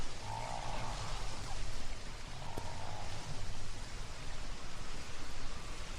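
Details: Humpback whale song recorded by hydrophone in deep water off Bermuda in spring: low drawn-out moans with higher tonal units over a steady hiss. This recording was later sent aboard a Voyager spacecraft.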